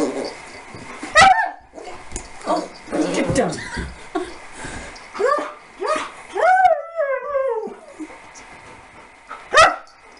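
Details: Puppy Harley, aged 15 weeks, playing with Lasky, a huge Siberian Husky; a few high, sliding whines and short yelps, with a person speaking between them.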